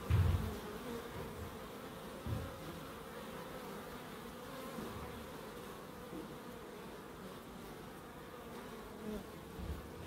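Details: Bees in a small wildlife garden of an end terrace house in Crookes, a steady low droning buzz throughout with harmonic bands, a louder pass near the start and slight swells later.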